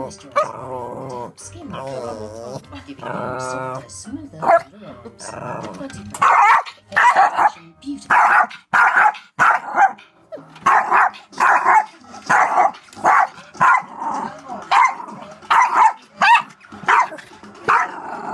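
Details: Yorkie named Rosie barks at the DVD player: after a few seconds of whining, yelping sounds, a steady run of sharp, loud barks spaced about half a second to a second apart continues to the end, with some voices and music faintly present.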